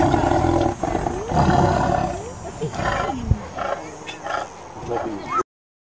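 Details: Tiger. A tiger roars loudly and harshly, the sound rasping and rumbling in deep, uneven bursts. Its pitch swoops up and down through a series of growling pulses before it cuts off abruptly.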